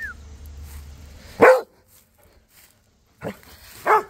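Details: Cody the Rhodesian Ridgeback chatting with Duchess and neighbour dogs: a low hum fades into a single loud, deep bark, then silence, then two more sharp barks close together, the last one louder.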